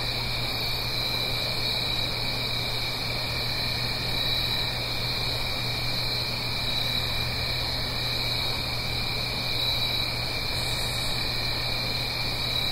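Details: An unbroken chorus of crickets in the Blue Ridge Mountains on an autumn night, a high shimmering trill and a lower steady band, backed by the rush of a nearby stream and a low drone.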